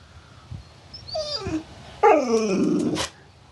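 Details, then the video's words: Dog 'talking' in a humorous clip: a faint high whine near one second, then a louder, wavering, harmonic yowl that slides downward for about a second. "หมาพูดได้ ดูไปมึนไป Funny Dog Talking"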